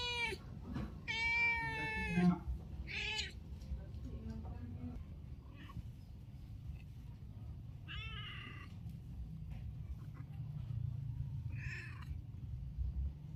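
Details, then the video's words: Calling cat gives a short meow, then a long wavering meow and a brief third one early on. Two fainter meows follow after a pause, over steady low background noise with some soft voices. "suara kucing memanggil"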